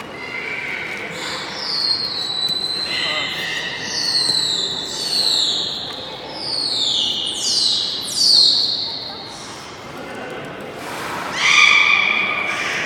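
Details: Beluga at Port of Nagoya Public Aquarium during a public training session, 16:30 show, 24 March 2018: a run of high, sharply descending whistles with harmonics, then a steady tonal burst near the end, over a murmuring crowd.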